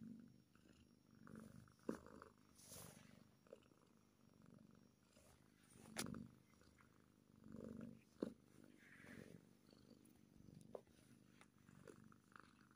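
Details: Happy kitten purring softly in uneven low swells, interrupted by sharp clicks, rustling movement and brief handling noises.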